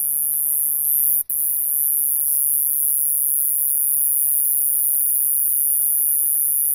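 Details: A Japanese conehead katydid, commonly heard in the lowlands of western Japan, gives a steady, shrill, high-pitched buzz, broken only by one brief pause.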